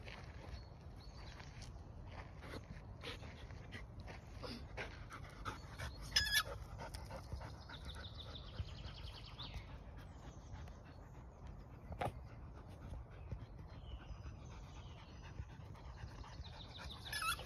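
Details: Belgian Malinois female at a dog park on a hot day, tired after playing; steady soft panting runs throughout, with a few sharp clicks and faint outdoor background noise.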